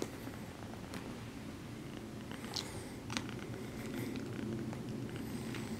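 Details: Purring from a female exotic shorthair kitten as she gently massages her human after petting, a continuous low throaty rumble with scattered soft clicks and rustles, growing slightly louder toward the end.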